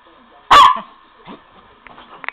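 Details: A Miniature Pinscher running after a ball gives one sharp, high yap, followed by faint scuffling and small clicks.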